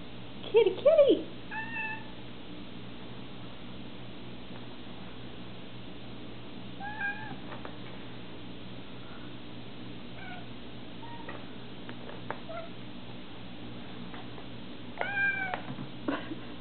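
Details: Domestic cat giving a loud, wavering meow at the start, followed by a string of softer, short mews spaced irregularly, then another strong rising-and-falling meow near the end, all over a constant low background rumble.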